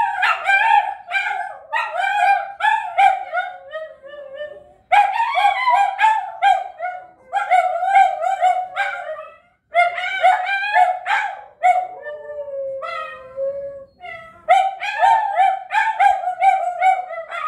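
Italian Greyhounds howl together in high, wavering yelps that rise and fall in quick repeated bursts.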